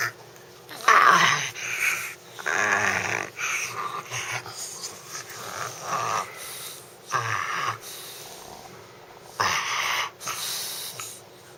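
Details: A dog named Justice making odd snorting noises: rough, breathy wheezes and grunts arrive in irregular bursts every second or two, some with a brief nasal whine, between quieter pauses.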